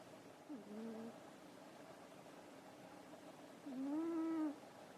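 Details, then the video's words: Asleep after dinner and playing, the cat Nekoyanagi snores: a brief quavering whistle, then a longer, louder, rounded tone with overtones; quiet hiss between breaths. "猫柳のいびき - Nekoyanagi's snore"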